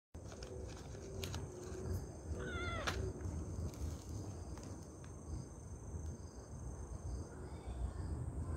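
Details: Grey stray cat, called Hoesaek-i, met outdoors during Chuseok and given snacks; a single short wavering meow with stacked harmonics near the start, then low rumbling background noise and faint clicks for the rest.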